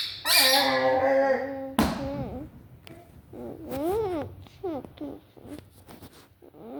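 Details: A Vizsla gives a long, strained, whining howl, then a string of rising-and-falling yelping whines and barks.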